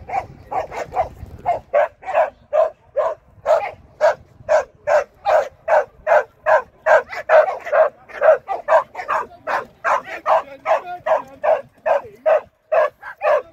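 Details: Sian, a Shetland Sheepdog at AKC training, 24 April 2023, gives a long unbroken run of quick, even barks, about thirty in under fourteen seconds, in a fast regular rhythm with little else audible.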